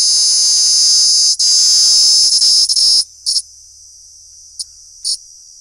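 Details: Cicada calling at close range: a loud, continuous, very high-pitched metallic buzz holds steady for three seconds with a few brief dips, cuts off, then returns in two short buzzy bursts against near silence.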